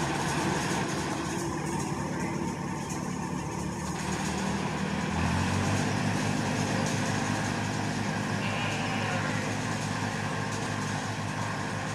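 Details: A steady vehicle engine rumbles throughout, with no animal voices standing out. A low droning hum and some mechanical noise fill the background.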